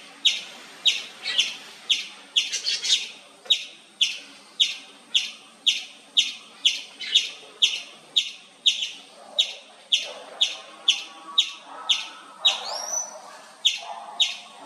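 An Indian palm squirrel gives loud, high chirps in a steady series, about two each second.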